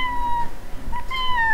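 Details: Female Scottish Fold type domestic cat, tabby mix, being handled calmly at a veterinary clinic before a planned spay; two drawn-out harmonic meows, the second rising then slowly falling, over quiet room noise.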